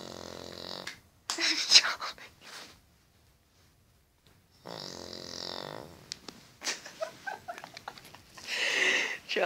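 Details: An 8-year-old Cavalier King Charles Spaniel (Canis familiaris), prone to snoring, snores loudly in rough, breathy rasps in a very deep sleep while a person speaks softly nearby.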